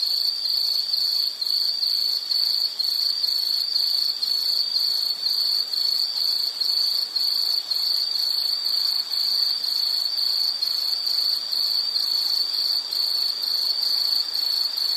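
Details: Continuous shrill insect chirping, with rapid pulses packed into short bursts that repeat steadily and evenly, over faint background hiss.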